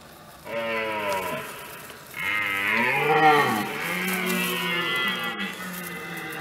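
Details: Red deer stag's rutting bellow, recorded in France in 2017: a loud, deep roar with rich harmonics. A long guttural moan that dips, then a stronger swelling bellow that rises and slowly falls away.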